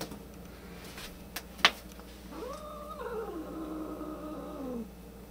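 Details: Angry domestic cat, one of several, with a white cat described as having an attitude problem; a drawn-out, wavering yowl rises, holds, then slowly sags over about two and a half seconds, preceded by a few sharp clicks.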